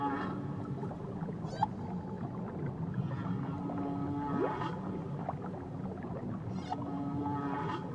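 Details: Whale song from Tahiti waters: sweeping upward cries, a long low moan bending upward near four seconds, and bursts of harmonic squeals, over continuous deep water rumble.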